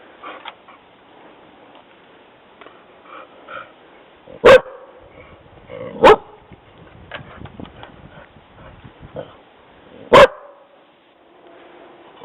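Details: A dog named Jessi barking after hearing somebody walking on the trail: three loud, sharp single barks spaced a few seconds apart, with softer yips, rustling and faint clicks between them.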